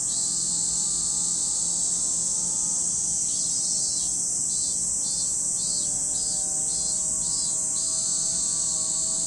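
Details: Cicada chorus by Lake Kamo in Sado City, Niigata, Japan: a persistent high buzz, joined midway by a run of quick regular pulsed bursts that fades out again, over faint sustained lower tones.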